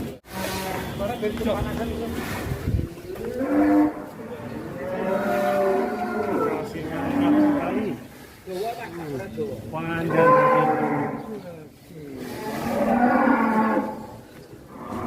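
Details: Fat cattle giving long, loud moos in separate bursts of about two seconds, some rising then falling, with quiet gaps between them; a man talking and soft music underneath.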